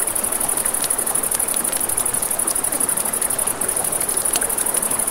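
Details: Crickets chirping at night near a river, their high trill faintly pulsing in quick, even beats, set against steady river noise and frequent crackling pops from a campfire.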